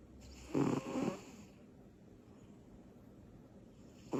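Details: A little female cat called Butters snores in her sleep after energy bursts: one harsh, fluttering double-pulsed snore, then silence before another breath begins at the end.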